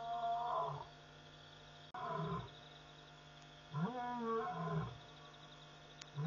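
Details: Lion calling after midnight at Pete's Pond, a waterhole in Mashatu Game Reserve, Botswana; three drawn-out moaning roars with long sliding tones, separated by pauses, over a steady low hum and insect trill.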